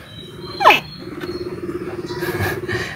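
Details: A young pet mini crocodile gives a sharp, downward-sweeping chirp, followed by a low, pulsing hum; the call sounds like a frog and could be mistaken for one near ditches.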